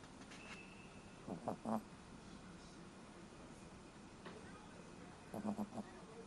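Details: Ron, a dog fast asleep indoors, snoring: two short clusters of fluttering low snorts, about four seconds apart, with quiet room hum between them.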